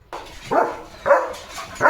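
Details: Leo, a German Shepherd, out in open green countryside playing and running with his owner; three short, hoarse barks spaced about half a second apart, with a quiet gap between the first and second.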